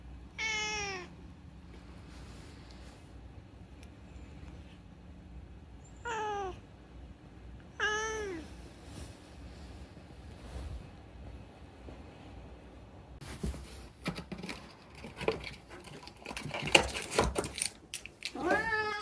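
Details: A chatty rescued cat meows in short bursts: four rising-then-falling meows spaced several seconds apart, with rustling and handling noises between them and loud shuffling just before the last meow.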